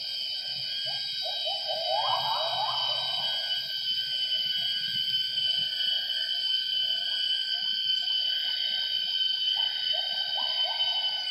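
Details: Wild gibbons singing at 07:58 in the morning in primary rainforest at Semenggoh Nature Reserve near Kuching, Borneo; a mated pair's duet of the female's great call and the male's coda. Rising, hooting notes in bursts over steady loud insect drone.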